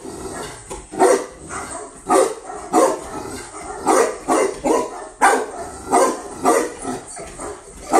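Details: Barking from a female Tibetan Mastiff newly brought in from Russia: loud deep barks, spaced a little under a second apart, about ten in a row over noisy background.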